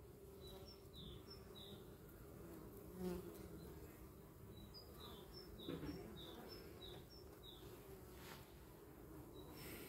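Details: Honey bees humming in the air while a dog watches them outdoors; a steady low drone runs throughout, with repeated short high bird chirps above it and two brief louder swells.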